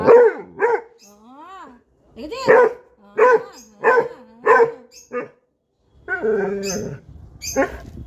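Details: Labrador Retriever giving a run of short, sharp harmonic barks and yelps, roughly eight in eight seconds, broken by a drawn-out rising-and-falling whine; a person talks nearby.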